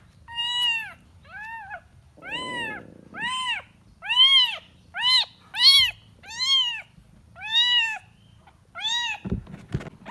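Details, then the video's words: Kitten seeking its mother indoors: about a dozen high, arched mews in quick succession, some short and clipped, others drawn out, with a brief soft rustle early and a sharp knock near the end. "The sound of a kitten looking for its mother"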